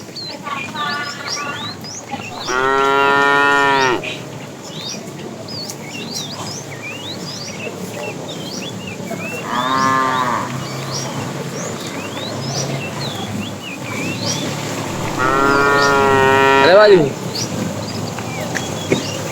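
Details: Tame cows roam a road looking for food, mooing three times in under twenty seconds, each call a rich harmonic bellow lasting one to two seconds, with birds chirping throughout.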